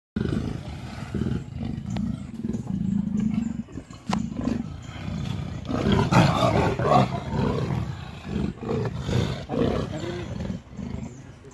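A leopard gives deep, rough roars and rumbling growls that swell and fade in ragged bursts.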